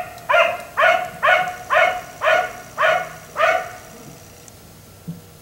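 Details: Black Labrador retriever kept outdoors until 1am by neighbors, barking seven times at a steady pace of about two per second, then falling silent with a faint thud near the end.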